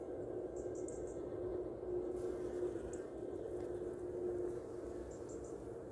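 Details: Honey bees foraging on Mahonia blossoms on 27 November: a dense, steady low hum fills the clip, with a faint tonal drone rising out of it twice as a bee passes close, and soft high chirps overhead.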